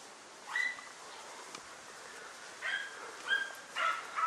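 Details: Dunja, a German Hunting Terrier, working a wild boar, gives short, shrill, ringing barks: one early bark, a pause, then four more in close succession, over a steady low hiss of background noise.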